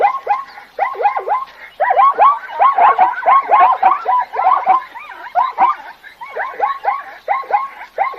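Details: Zebra calling with rapid, yelping barks: arched, harmonic notes repeated in quick, irregular bursts, sometimes overlapping as if more than one animal is calling, with brief pauses between runs.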